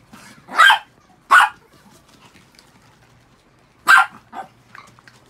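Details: Six pet Chihuahuas after a shampoo: three loud, sharp, high yapping barks, the last followed by a softer fourth bark, spread unevenly over a few seconds in a quiet room.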